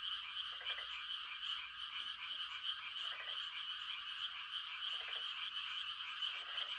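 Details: A chorus of frogs making mating calls on a quiet country night: a constant high trilling background, punctuated by four lower, grating croaks spaced about one and a half to two seconds apart.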